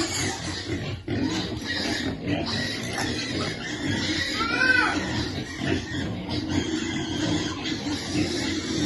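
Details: Piglet waiting for food at feeding time: continuous low grunting with one short rising-then-falling squeal midway, plus rustling and knocking sounds.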